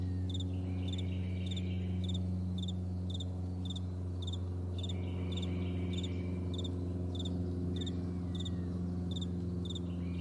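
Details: Crickets in a vast meadow in the morning: high, pulsed chirps repeated roughly every half second in a steady rhythm, over a constant low droning hum.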